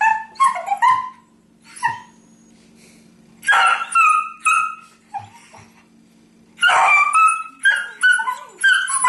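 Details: Two pet dogs, a beagle and a terrier, sparring playfully without contact on a couch indoors; bursts of high yips, whines and short barks in clusters with brief quiet gaps, a faint steady hum underneath.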